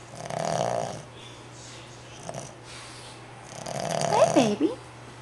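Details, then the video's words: A five-month-old Boston Terrier puppy, fast asleep indoors, snores in two long, raspy, breathy rumbles about three seconds apart. A person murmurs softly over the second breath. "Pooped Boston Terrier Puppy Snoring"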